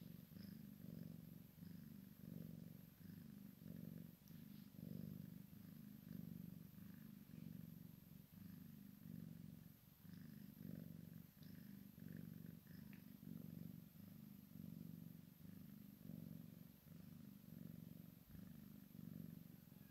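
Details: Maine Coon x Sphynx kitten playing with its mother, a steady low rumbling purr pulsing in even in-and-out cycles about every second throughout, with faint light clicks and rustles above.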